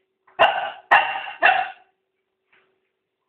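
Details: A 6-month-old puppy caught opening the bin barks three times in quick succession, short sharp barks about half a second apart, then a faint fourth yelp after a pause; a woman's voice calls to her just before.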